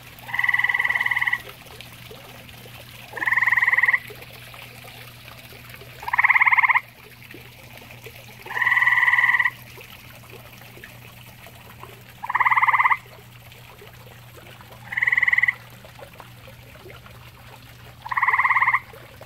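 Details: Pond-dwelling grey tree frog, sharing its water with common toads, giving seven rattling, pulsed trills in a row, each under a second, spaced about every two and a half to three seconds, with a soft low hum beneath.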